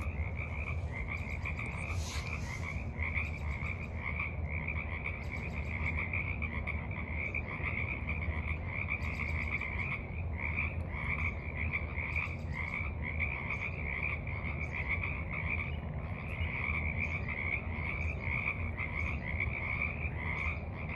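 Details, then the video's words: Evening frog chorus at the edge of a forest pond, March 28, 2023: many overlapping mid-pitched croaks form a dense, continuous rattling pulse, with steady low background noise underneath. "Evening Frogs Croak in the Mud"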